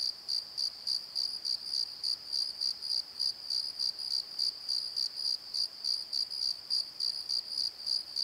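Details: Night chorus of crickets in a valley bottom, high pulsed chirps repeating about three times per second above a constant shrill hum, with no other sounds.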